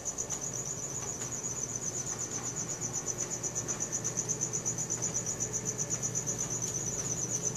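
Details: Crickets at night recorded on a Samsung Galaxy S4: a steady, high, pulsing trill of rapid chirps runs unbroken throughout, over a low background hum.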